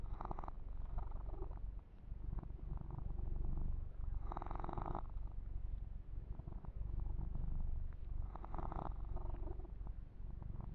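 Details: A male kitten purrs while being massaged indoors, a persistent deep vibrating rumble, with three clear bursts of rustling grooming sounds spaced about four seconds apart.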